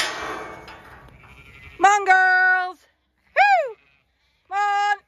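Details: Zwartbles ewes and lambs on a regenerative farm in County Kilkenny, Ireland, bleating as the gate opens onto a garden paddock; a voice calls first, then three loud clear bleats, two steady and one sliding down.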